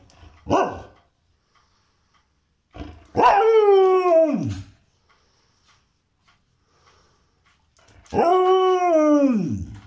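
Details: Pet dog in India arguing with its owner to be taken out for a walk: three drawn-out, whining howl-barks, each sliding down in pitch and lasting about a second and a half, with a quiet gap between them.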